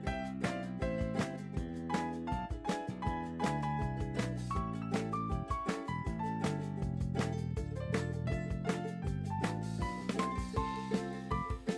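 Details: Upbeat instrumental music with steady drum hits and plucked melody plays throughout, with no animal sounds.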